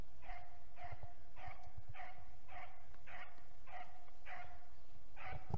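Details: Hound giving tongue while hunting roe deer, first los of 2021: a regular series of about ten clipped, ringing barks spaced roughly half a second apart, with light background rustle.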